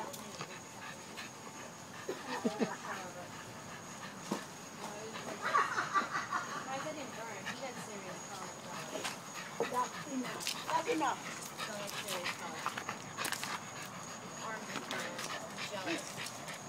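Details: Pet French Bulldog making weird noises indoors: scattered raspy snorts and puffs, with a brief thin whining sound midway, a person speaking quietly, and a constant faint electronic tone.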